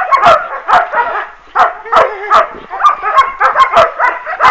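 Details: Several working-line German Shepherd puppies, offspring of Boris Solidblack and Tisia de la Senda, yelp and bark together. Short, high, overlapping calls come in busy bursts roughly every half second.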